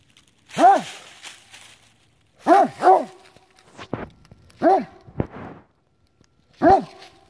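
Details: Great Dane named Maverick barking while hunting a chipmunk hiding in a tree; loud, deep arched barks in bursts of one or two, about five in seven seconds, with a man's voice and footsteps between them.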